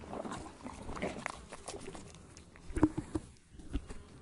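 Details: Horse chewing tree bark: irregular crunching and cracking bursts, fast and uneven, with brief sharp snaps and short quiet gaps.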